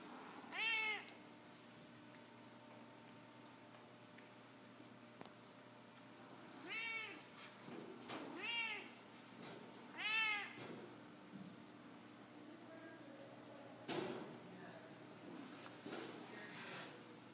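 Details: Jan, a domestic cat in a small indoor room, gives four loud harmonic meows: one near the start, then three within about four seconds in the middle. Quiet stretches between, a low steady hum throughout, and a sharp click near the end.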